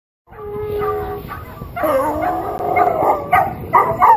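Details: A Weimaraner and dachshunds howling and barking: one steady tonal howl, then several voices join in a wavering, overlapping chorus that grows louder, broken by short barks.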